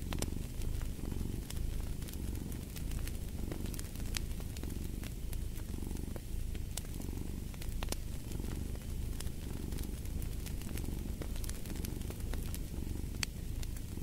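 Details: Continuous low cat purr pulsing in breath-paced waves, a soft rumble rising and falling, layered with the constant crackle and intermittent snapping of a fire in a fireplace.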